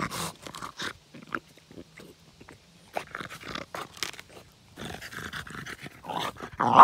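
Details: French bulldog playing with a log, giving short rough grunts and snorting growls in scattered bursts, with brief quiet gaps between, then a denser run of throaty sounds near the end.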